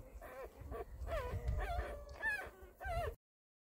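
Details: Newborn Beagle puppies from a litter of six males and one female, mostly chocolate with possible tricolors, giving a run of short rising-and-falling whimpering squeals, about six cries in three seconds, over low rumbling background.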